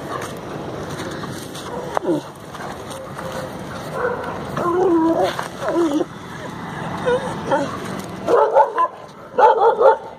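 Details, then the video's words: Desi dog Tofy, a female Indian pariah dog, on her daily morning walk: scattered yips and whimpery sounds amid background noise, building to clusters of short barks near the end. "My desi dog barking"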